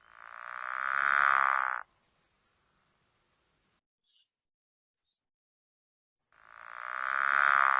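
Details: A pickerel frog gives two fast, very even, rattling snores, each swelling and fading over about two seconds, like a child making a race-car noise; faster and more even than a northern leopard frog's snore.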